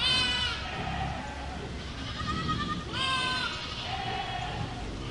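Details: Herd of goats with clear, drawn-out bleats, one at the start and another near three seconds, each bright and nasal, followed by fainter answering calls against a low, continuous murmur.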